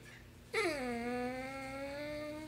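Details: Vocal basset hound indoors in a small room, starting after a brief quiet lead-in with one long drawn-out howling whine that dips slightly, then holds steady and rises faintly toward the end.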